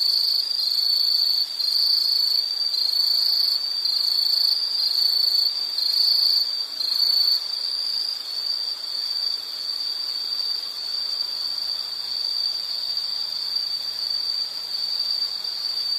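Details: High insect trill runs unbroken, several callers overlapping in the first half with pulsed bursts above, then settling into one even, shrill drone; a faint low hum appears near the end.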